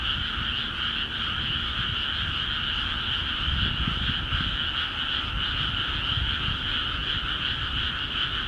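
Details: Chorus of frogs in Akiha Ward rice fields after water was let in: continuous overlapping pulsed croaking, bright upper band and softer middle band, with a slightly stronger low rumble around the middle of the stretch.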